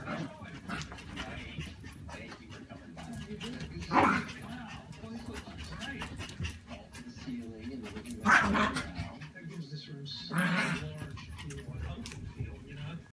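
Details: A Maltese and a Yorkshire Terrier play-fight at home after a walk. Short growly barks burst out about every two to four seconds over steady scuffling and rustling, with a human voice now and then.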